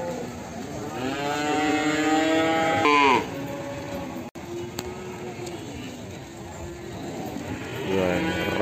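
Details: Limousin calf from Ambarketawang, Sleman, mooing: one long, rich moo that rises and then breaks off sharply near three seconds. Quieter background chatter follows, then a fresh moo begins at the end.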